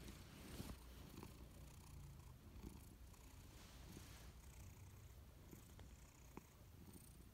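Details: Dozing on a warm sofa, Louis the Persian cat gives a low, continuous purr with gently pulsing breath cycles. A few soft ticks are heard in the quiet room.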